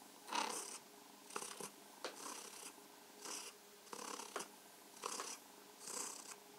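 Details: Cat named Mausi, being stroked and massaged, purrs in loud rhythmic breathy swells, roughly one each second, with a steady murmuring tone underneath.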